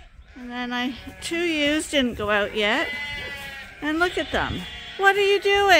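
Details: Sheep at Ewetopia Farms waiting in a morning pile-up to go to pasture: several loud, tremulous bleats that rise and fall in pitch, with short pauses between calls.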